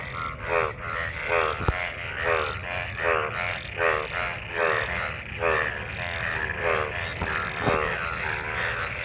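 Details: Frogs croaking in gathered rainwater after monsoon rain during mating; evenly spaced buzzy, pulsed croaks, roughly one per second, in a steady chorus with a couple of sharp clicks.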